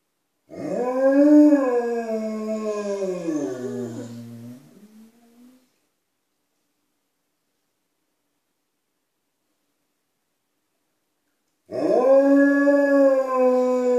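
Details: Two Alaskan Malamutes, Tuvaaq and Aanaga, indoors making sure people outside know they are in the house: a long harmonic howl sliding down and fading, then silence before a second, steady howl begins.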